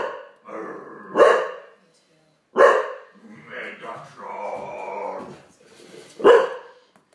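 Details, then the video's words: Olde English Bulldogge barking after being scared by a Megatron toy: three loud, sharp single barks, about 1.4 and 3.7 seconds apart, with a person talking between them. "Olde English Bulldogge Daddy scares with Megatron"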